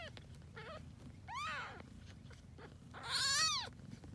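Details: Grey tabby kittens, born to a cat taken in after being found homeless nearly a year earlier, give high mews: a short squeak, then two rising-falling meows, the second louder and longer.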